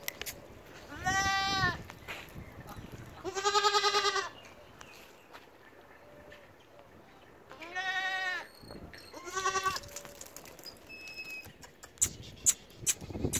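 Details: Goats bleating repeatedly, four nasal, quavering cries spaced a few seconds apart, some loud and some softer, over background rustling and clicks.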